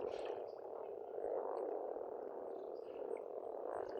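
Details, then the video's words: Pond frogs in spring in Estonia, an unbroken wall of low, rattling croaks from many animals, with only faint, scattered bird notes in the background. "пение птиц и лягушек"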